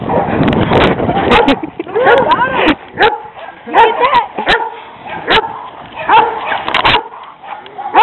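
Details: Dogs in a street confrontation: two aggressive stray dogs harass a leashed pet Rottweiler on a walk. Sharp broadband barks and yelping, whining notes come in irregular bursts, with people shouting commands such as "back" throughout.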